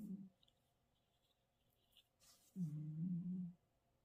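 A Russian Blue cat snores in its sleep. Each breath comes as a low, droning buzz lasting about a second, with quiet pauses between them and faint room noise behind.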